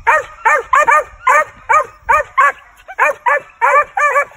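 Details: Barking from Rush, a lightly started male Original Mountain Cur squirrel dog of Nickelson and Mohawk breeding, during training: short harmonic yelps in quick bursts, some doubled, with brief gaps.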